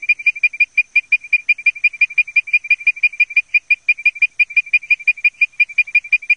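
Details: Leptodactylus mystacinus advertisement call: short, clear whistled notes at a steady high pitch, repeated briskly about three times per second in an even series, with no other sounds.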